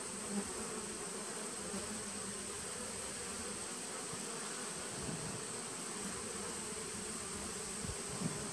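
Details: Honey bees in a nucleus colony started in 2017, recorded on 19 September 2018: a dense, steady hum with a low droning band and a brighter overtone above it, plus a faint constant high whine throughout.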